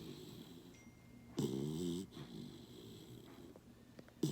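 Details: A sleeping Basset puppy snuggling during a morning routine gives one loud, rough snore with a stacked, buzzy tone lasting about half a second, then softer, quieter breaths in a small indoor room.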